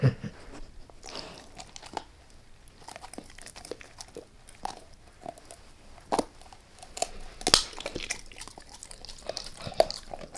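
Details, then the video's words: Dog named Max eating a beef rib: sparse crisp crunches and bone clicks spaced by quiet pauses, with a loud sharp snap around seven and a half seconds. "Max Eats | Beef Rib | ASMR DOG EATING"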